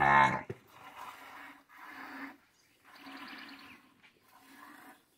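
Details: Cattle in a corral on a morning of hand milking, with calves suckling from their mothers. Cows named Chumbada, Renata, Fruteira and Mariposa are milked. A sharp sound opens, followed by four low, drawn-out bellows of about half a second each, spaced about a second apart.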